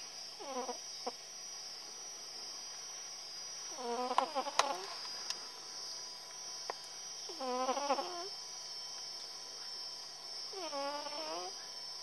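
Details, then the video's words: Snores from Tillè, a female cat fast asleep: four rasping, harmonic breaths roughly every three and a half seconds, each rising then falling slightly, with a few sharp clicks around the second one and a constant electrical hum. "snoring cat, gatta che russa"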